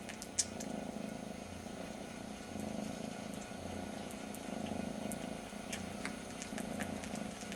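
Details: Indoors, a very young kitten missing its mother licks its brother's ear while purring, a continuous low rumble swelling and easing in regular breaths, with crisp wet licking clicks overhead.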